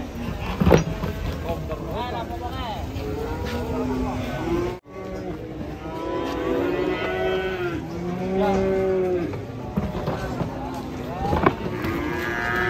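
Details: Many cattle moo together, long overlapping low harmonic lows rising and falling, some drawn out for about a second, with a sharp knock near the start and a brief dropout in the middle.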